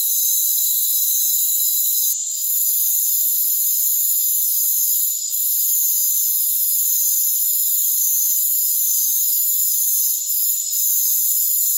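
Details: Rainforest crickets in a dense, unbroken high-pitched chorus of steady shrill tones layered in several bands, with brief soft dips every few seconds and no low sounds at all.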